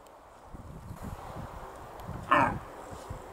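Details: A red deer hind in Bristol, England, on 21 September 2015 gives a single short, harsh grunt-bark, warning her companions of a person filming her, apparently surprised.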